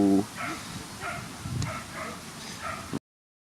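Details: Whippet at the Twin Cup 2017 coursing race in Latvia, where Diana Noir and Tatyanin Den Verniy ran; about five short, high yipping barks spaced roughly half a second apart over a low background rumble, after a brief human exclamation at the start.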